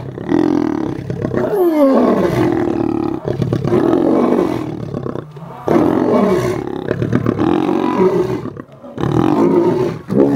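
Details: Captive lions at the South African Lion Park, Johannesburg, during a snack feeding: harsh, sustained growling roars, loud and nearly continuous, with only a few short pauses between rasping surges.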